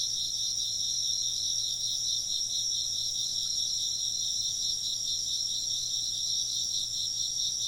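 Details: A continuous chorus of chirping insects, with two layered bands of high, quickly pulsing trills holding steady throughout and a soft low hum behind.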